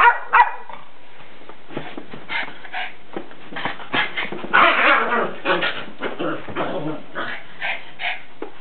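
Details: Salem the dog plays with a soccer ball, giving rapid, uneven barks and yips about three per second. The barks run together in a busy stretch that is loudest near the middle.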